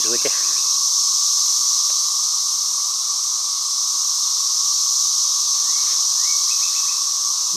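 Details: A cicada chorus fills the air with a loud, constant, high hissing drone, with a brief burst of speech at the very start and a few faint chirps from other creatures.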